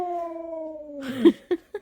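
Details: Keesha, a vocal female husky, rooing indoors on a bed, a long drawn-out tone slowly falling in pitch for about a second, followed by a few short yelp-like bursts.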